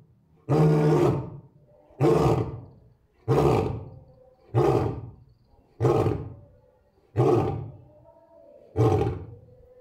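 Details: Male lion alone on exhibit at Asahiyama Zoo, Japan, 10 May 2024, mate and cubs absent; a run of seven shorter, punchy roaring grunts, evenly repeated about every 1.3 seconds, deep and booming.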